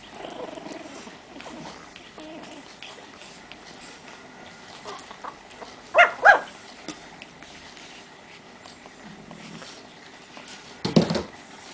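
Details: Pekingese puppies at forty days old, from two litters totalling seven pups, indoors in Estonia; two sharp, high yips come in quick succession mid-recording, followed by a third short yelp later, over quiet room noise with faint murmuring early on.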